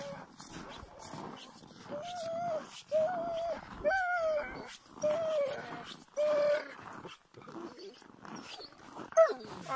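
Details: Siberian Huskies at a husky farm near Rovaniemi in Finnish Lapland: wavering, moaning howls and whines rising and falling in pitch, several overlapping in bursts of a second or two, with other dogs and background noise.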